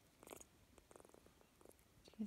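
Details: Orphan kitten named Otter purring while being loved by Josette, a female Shetland Sheepdog; soft low pulsing purr with irregular throbs about four per second, ending in a louder low thump.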